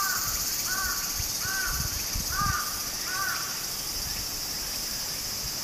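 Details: Continuous high-pitched cicada buzzing near a stream in Japan in summer, steady and unvarying, while a crow-like bird gives several short hoarse caws spaced under a second apart in the foreground.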